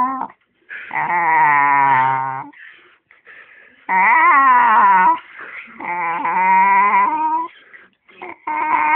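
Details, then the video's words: Eddie the dog produces a series of wavering, yodel-like whining howls, each about one to one and a half seconds, bending up and down in pitch and repeated with short breathy gaps, like an argumentative 'talking' dog. "Eddie the Possessed Dog"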